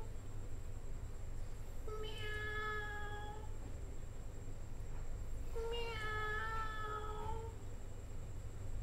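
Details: Cat giving two long, drawn-out meows about three seconds apart, each a tonal wail holding steady before trailing off, over a constant low hum and a faint high steady whine.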